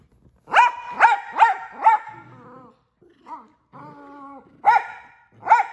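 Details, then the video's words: Miniature Australian Shepherd, a male, barking very frequently: four sharp, loud barks in quick succession, a pause with softer whining and talking-like vocal sounds, then two more sharp barks. "Loudest Barking Dog and Most Frequent World Record"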